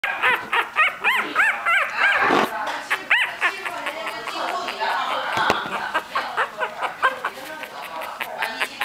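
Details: A two-week-old Maltese puppy whimpers in quick, high, arching squeaks while looking for its mother.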